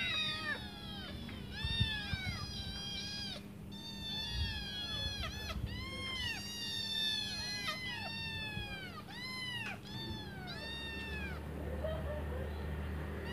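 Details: Five hungry kittens meow while waiting for their mother to return and feed them; many overlapping high arched meows crowd the first eleven seconds, several at once, then fade, over a low steady hum.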